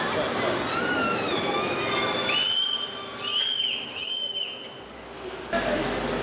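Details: Captive bottlenose dolphins at a SeaWorld show in Orlando in September give clear, high whistles, produced through the blowhole, that sweep up and down in arching, repeated contours after a presenter's voice.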